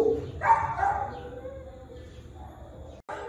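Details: Ginger, a dog at West Valley animal shelter, seeking visitors' attention: a short tonal whine rising and falling near the start, then quieter whimpering over low background hum.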